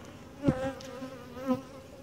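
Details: During a hive inspection, a gentle, calm honey bee colony hums softly. A louder buzzing tone with bright overtones swells twice, about a second apart, as a bee passes close, alongside light thumps.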